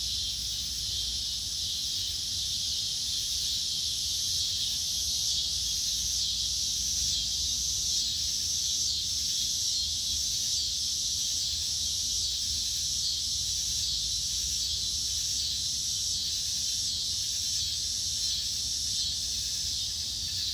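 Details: A steady, high-pitched insect chorus at dusk, a dense shimmering trill with faint regular pulsing that never lets up.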